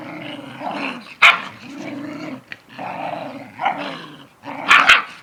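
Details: Mother dog and her puppy son in a play lesson on standing up for himself: steady throaty growling in rough phrases, broken by sudden yappy snarls and sharp bursts.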